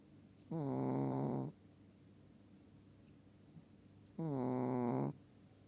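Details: Sleeping Chihuahua snoring: two drawn-out, nasal, humming snores about a second long, spaced nearly four seconds apart, with a quiet room between them.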